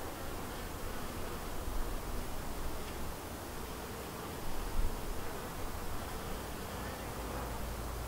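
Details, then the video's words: Honey bees buzzing around a white backyard hive, a colony split from another hive and said to be thriving; a steady, dense low hum fills the whole recording with slight swells in loudness, no other clear sounds. "Just Honey Bees Buzzing in HD Audio around about my White hive"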